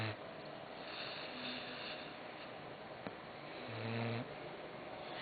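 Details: Sleeping dog named Croqueta gives a short low snore at the start, then quiet raspy breathing, a faint click, and a second buzzy snore near the end.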